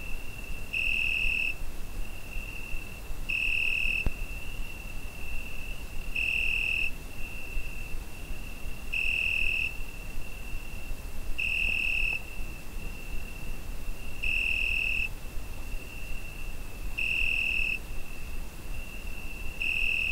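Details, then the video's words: Cricket singing on a summer night, Zoom H5 recording: a sustained high trill pulses louder eight times at a steady pace of about every two and a half seconds, over a gentle low background murmur. "Summer Night Cricket Sound Effect"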